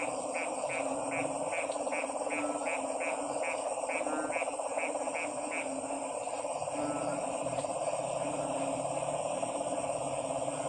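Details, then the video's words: A frog chorus: a run of quick, regular croaking pulses for about five seconds, then thinning to scattered calls under a steady droning background noise. "Stressed Relieving Sounds of 🐸 Frog's"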